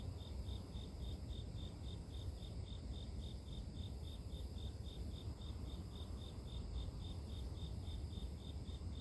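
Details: Insects singing in grass, presented as natural white noise to help sleep; a high, clean chirp repeats steadily around three times a second for the whole stretch, with heavy low-pitched rumble underneath.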